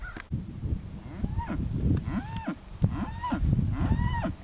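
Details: Cattle at a livestock sale in Georgia on 12 August 2014: about four drawn-out bawls, each arching up and then falling away, over a steady low rumble and clatter from the sale barn.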